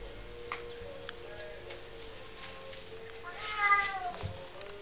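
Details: A young female Bengal cat gives a single drawn-out meow that rises and falls, over a steady background hum.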